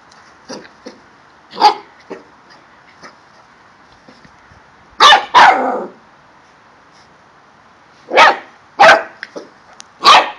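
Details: A male corgi born October 2012 in Milton Keynes, UK, playing with his balls, gives sharp, broadband barks, singly and in quick pairs, with short pauses between.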